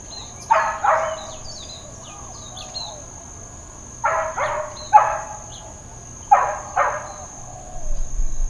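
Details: Uncontrolled neighbourhood dog barking at Hawaiian Paradise Park, Hawaii, on September 2, 2024, the Labor Day holiday: three loud bursts, mostly quick double barks, about two seconds apart, over a constant high-pitched whine and soft distant bird calls.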